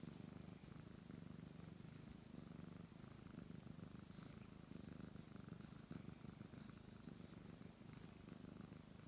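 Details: Purring brown tabby cat being petted: an even, low, throbbing rumble pulsing rapidly and without pause, faint rustle of fur in the background.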